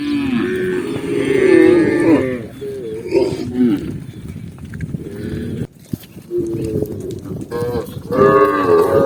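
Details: Tame cow walking calmly through a green forest, lowing in long harmonic moos that waver and bend, several drawn-out calls with short pauses, the last rising in pitch near the end.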